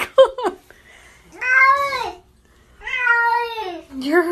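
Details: Kitten eating its lunch gives two drawn-out, wavering meows that sag in pitch at the end, bracketed by quick short mews at the start and a final meow, in a quiet indoor room.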